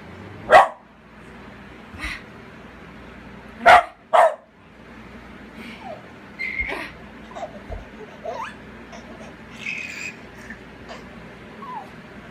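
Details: Pet dog Babygirl barking in play with a laughing baby indoors: sharp, broadband barks near the start, then a quick double bark around four seconds. Softer yips and squeals follow, with faint voices underneath.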